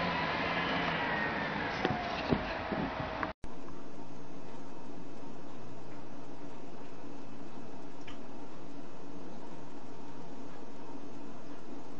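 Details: A short burst of bright, busy indoor sound breaks off sharply and gives way to a steady fan-like hum; no animal voice stands out.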